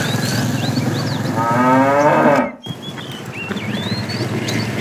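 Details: Afternoon herding of tame cows, a fat cow calling the female: a rich moo climbs and swells for about a second before cutting off, with birds chirping and whistling throughout.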